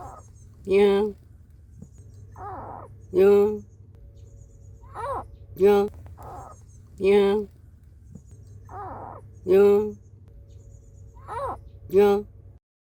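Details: Cat sounds: a mother's angry warnings aimed at an intruder to guard her kittens, mixed with kittens' mournful cries seeking her. Loud, harsh, drawn-out wails alternate with shorter, higher, wavering mews, about twelve calls in all, over a constant low hum.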